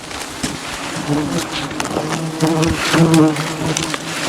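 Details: Thousands of angry wild bees swarm around a honey hunter climbing in the jungle during honey harvesting, a continuous low droning hum that swells and fades slightly, with faint knocks beneath.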